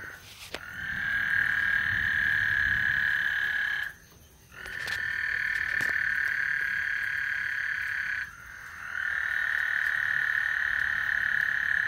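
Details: Frogs on Lake Houston call ahead of a thunderstorm. Three long buzzing trills, each several seconds long, are split by short silent gaps, with a faint low rumble underneath.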